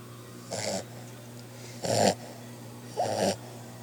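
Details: Puppy asleep, snoring in three harsh, noisy breaths spaced roughly a second and a quarter apart, with a constant faint hum underneath.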